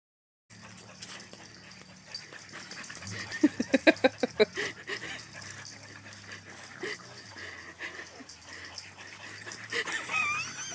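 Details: A French Bulldog and a Shepherd mix playing fetch in a backyard: rapid rhythmic panting or snuffling pulses, a quick run of about eight puffs mid-way, over steady background hum.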